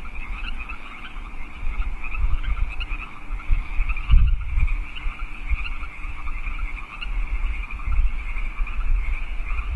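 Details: Night chorus of wild frogs in California Park, 15 March 2014 at 8 PM: unbroken, shimmering trills from many callers layered together, with rumbling low noise and a brief dip midway.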